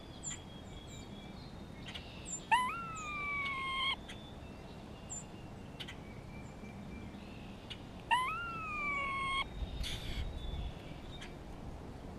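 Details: Grey squirrel in spring, talking with another squirrel and responding to a hawk in the area: two long, nasal, whining moans about five seconds apart, each rising sharply and then steady. Faint high chirps and rustling in between.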